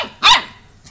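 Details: Labsky dog, a Labrador crossed with a Serbian Husky, giving a single sharp, loud bark lasting a fraction of a second, followed by near silence.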